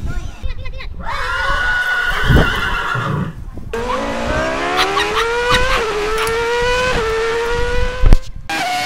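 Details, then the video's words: Talking Siberian Husky from a sled-dog compilation: a long, sustained howl that climbs slowly and holds steady, wavering a little, after a brief earlier whine, over background rumble and some voices. "Funny Husky Talking"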